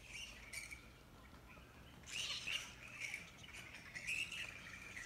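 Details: Grey-headed flying foxes at a camp on the Wolli Creek walking track in Sydney, giving harsh, chattering high calls in overlapping bursts, louder around two and four seconds, over a steady low background hum.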